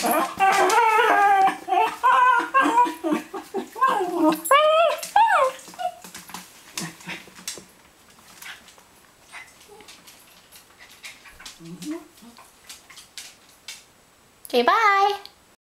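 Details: A Cairn Terrier sings for a thrown ball indoors. Bursts of wavering, yodelling howls fill the first six seconds, then the sound fades to near quiet with faint noises, and one last sliding howl comes near the end.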